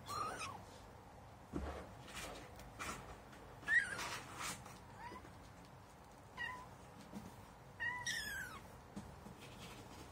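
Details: Kitten exploring cat litter for the first time; several short high squeaky mews scattered among scraping and rustling sounds, the last one longer and fuller.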